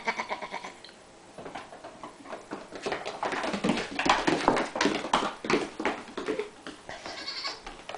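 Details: Young female goats in sweaters romping in a kitchen; quavering bleats mid-clip and near the end amid frequent sharp clicks and taps, like hooves on the floor.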